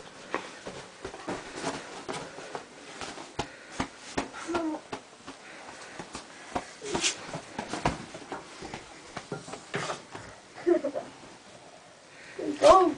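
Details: Lucy, a seven-month-old puppy, wakes her owner in the morning indoors, as she does every day: rapid sniffing and wheezy snuffling bursts, then thin high whines near the end.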